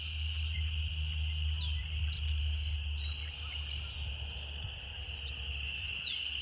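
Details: Cicadas drone continuously in a relaxing natural scene, a flat high buzz beneath several quick downward-sweeping bird chirps, with a low steady hum below.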